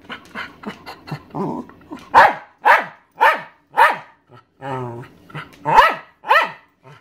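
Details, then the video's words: Maggie, a 13-year-old Welsh Terrier, demands her owner's dinner with a run of loud, evenly spaced sharp barks after softer yips, a short human voice cutting in midway. "Maggie the Welsh Terrier barking"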